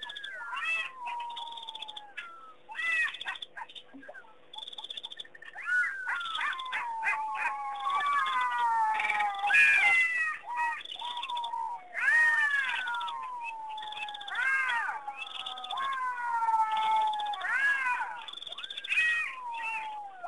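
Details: Several jackals howl together in the distance at night-time Pete's Pond, Mashatu Game Reserve, Botswana, on June 6, 2009, in a wavering chorus of high, sliding wails and yelps.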